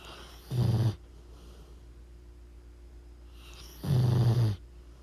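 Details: Pit bull snoring in its sleep, two low, rumbling rasps with a short gap between, the second longer and slightly louder, over a quiet background hum.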